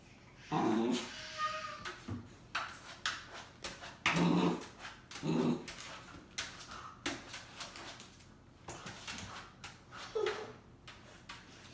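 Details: Golden Retriever puppy indoors, excited by another dog it keeps seeing in its reflection on a silver freezer while pawing at it; short high whimpers and yips come in bursts between scratchy pawing taps.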